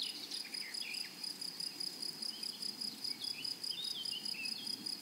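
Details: Meadow grasshoppers on a flowery prairie keep up a shrill, pulsing high-pitched trill that beats rhythmically throughout. Scattered short bird chirps and twitters drift in the background.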